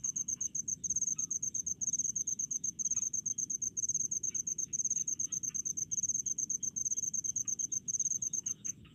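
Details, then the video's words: Rice-field cricket chorus from a countryside setting: dense, fast high chirps in clustered trains, nearly continuous, over a muted low hum and faint lower insect pulses. "SUARA JANGKRIK DI PESAWAHAN"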